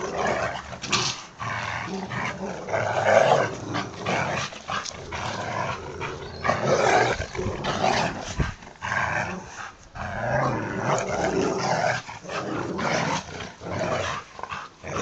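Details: Labrador and boxerdor dogs at tug of war play, rumbling growls and snarls in uneven bursts roughly every few seconds, with scuffling sounds between.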